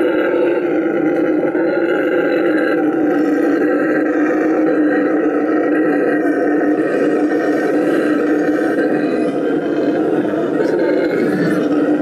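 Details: Tango, a rescued Bolivian red howler monkey at La Senda Verde rescue center in Bolivia, roars in a loud, sustained, droning howl with layered tonal bands, continuous throughout without pause.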